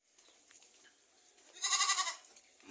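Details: Domestic goat feeding on bandotan weed at a farm in Margoyoso, Pati, Central Java, Indonesia, letting out one short, nasal bleat of about half a second after a quiet stretch, with faint rustling and a man talking afterward.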